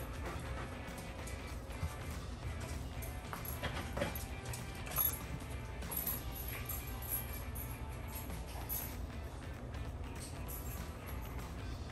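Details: Background music plays over a low rumble, with no animal voice standing out.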